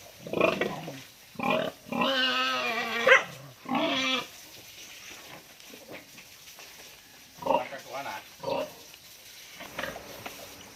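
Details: Pregnant sow receiving a deworming treatment before giving birth: loud, strained squeals with strong harmonics, the longest lasting about a second, then shorter grunting squeals spaced irregularly over a faint background.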